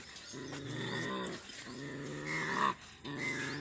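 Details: Pandikona puppy growling during a courage test: low, rumbling, harmonic growls in three sustained bursts separated by short breaks around the middle and near the end.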